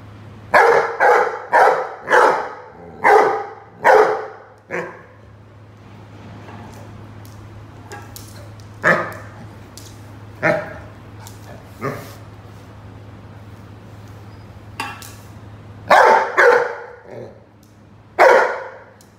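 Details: Rhodesian Ridgeback Roady barking while playing with a watering can: a fast run of about seven barks in five seconds, then scattered single barks and a closing burst of three, over a low steady hum.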